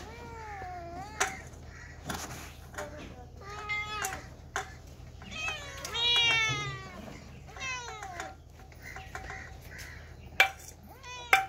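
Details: Cats and kittens meowing repeatedly: a run of short, bent, high mews, some rising then falling, mixed with a few clicks and knocks and a low background murmur.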